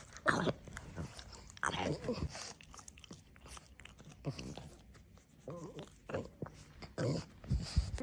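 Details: Pug indoors in a small room making its regular snorting, snuffling and grumbling sounds: rough broadband snorts in bursts, with short throaty grumbles around the middle and end, and chewing-like crunches between them.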